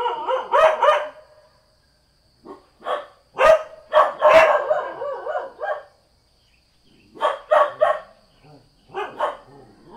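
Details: Ordinary house dog barking in irregular bursts of quick, sharp woofs separated by short silences, with a few softer barks between.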